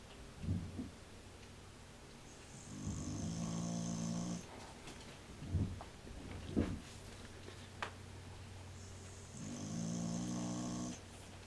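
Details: Old cocker spaniel snoring loudly while asleep indoors, audible through the house: long, deep, rumbling snores lasting about two seconds each, roughly five seconds apart, with short snorts and small noises between.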